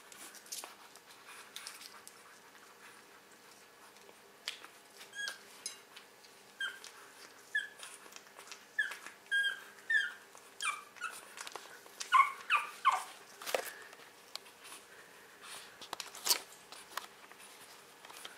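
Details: Pug puppy weighing 600 grams, eating eagerly while being fed; short, high squeaky whimpers and chirps come in irregular bursts through the middle of the clip, with soft clicking feeding noises around them in a quiet indoor setting.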